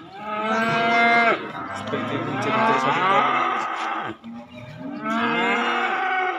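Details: Calves and young bulls at a cattle market: two loud, drawn-out moos, the first over a second long with rich stacked harmonics, the second starting near five seconds, with a lower rumbling moo and crowd noise between them.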